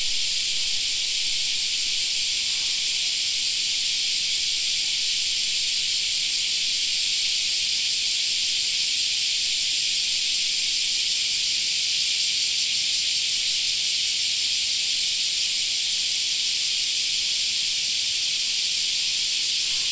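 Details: A park in summer filled with the continuous shrill drone of cicadas, an unbroken high buzzing wall of sound with faint rapid pulsing and nothing else clearly heard.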